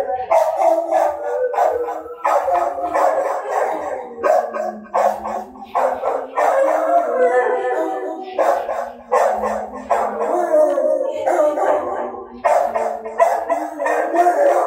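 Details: Dogs howling at night, a long stretch of overlapping howls mixed with sharper yelps and bark-like bursts, rising and falling in uneven pulses.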